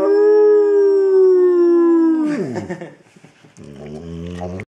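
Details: Adult male Labrador Retriever, 60 pounds, in foster care awaiting adoption: one long steady howl for about two seconds, then breaking into rough lower whines and a muffled grumbling tail.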